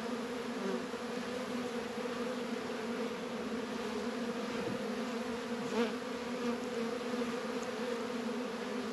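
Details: Dense colony buzz from honey bees at the hive during a warm 72-degree February day in northern Kentucky; continuous layered droning, a single bee briefly passing closer near the end.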